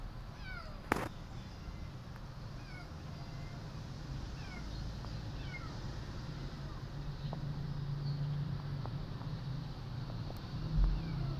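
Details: Abandoned kittens mewing: thin, high, falling meows come in quick pairs and scattered singles across the stretch over a steady low rumble, with a sharp knock near the start and a soft thump at the end.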